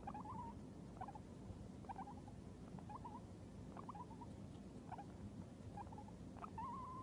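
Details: A male Abyssinian guinea pig just waking from sleep gives short, squeaky chirping calls, repeated about once a second over a low rumbling background.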